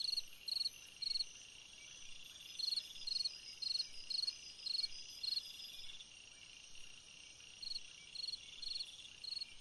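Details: A cricket singing on a summer night: short high chirps, about two per second, in bursts with a pause near the middle, over a steady high-pitched insect hum.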